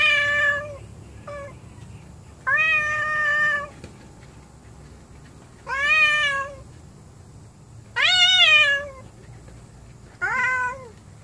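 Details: Several pet cats not getting along, angry: five harmonic meows at irregular intervals, some flat and drawn out, others sharply rising then dropping, with a low background hum between calls.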